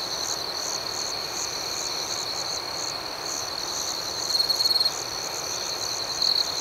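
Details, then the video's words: Nighttime cricket chorus: continuous high, thin trilling with rapid rhythmic pulses above it, and a brief louder shrill burst near the end against faint hiss. "Soothing Cricket Sounds"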